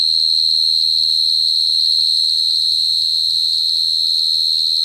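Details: Cricket singing a continuous, shrill high-pitched trill held at a steady pitch, with a faint low rumble underneath.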